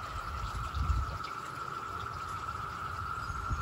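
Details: A dense cicada chorus in a garden in Maryland, zone 7a, with cicadas flying everywhere, makes a steady, unbroken droning whine over low wind rumble and occasional neighbourhood traffic.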